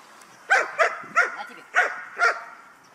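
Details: Guard dog in an item-guarding training exercise, from a guard-dog kennel in Hà Tĩnh, Vietnam, gives five sharp, clear barks spaced roughly half a second apart, then stops.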